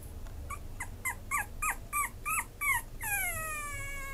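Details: Merle Chihuahua kept by a breeder: a run of short, high, sharply bent whimpers, about eight in under three seconds, ending in a drawn-out whine that slowly falls in pitch, over a low indoor hum.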